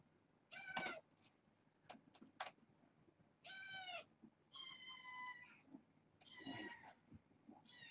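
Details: Bedtime for a litter of six young foster kittens born August 29th, now indoors. Several shrill, harmonic kitten mews overlap, some brief and some sustained, with faint soft thumps and rustles between them.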